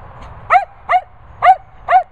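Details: Cocker Spaniels Daisy, Finlay and Murphy; four clear, high-pitched yelping barks spaced about half a second apart, each short with a slightly falling pitch, close and loud against a quiet background.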